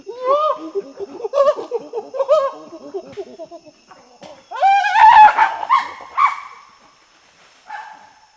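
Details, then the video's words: Chimpanzee in Tai Forest, Ivory Coast, West Africa, grunting while feeding: a series of loud, tonal, rising hoot-like grunts in bursts, then a harsher, higher, squealing outburst midway, fading to a few softer calls. "Chimpanzee. Panting And Feeding Grunts"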